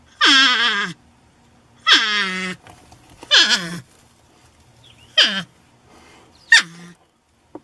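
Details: Loud porcupine cries, five or six in a row, each starting high and harsh and falling to a lower drawn tone, some with a rasping edge, in an otherwise quiet setting.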